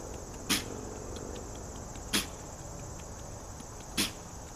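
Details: A deer named Patches sneezes, said to have bugs up its nose, recorded 09-03-2017. Three sharp, broadband bursts come about every two seconds over a steady background hiss.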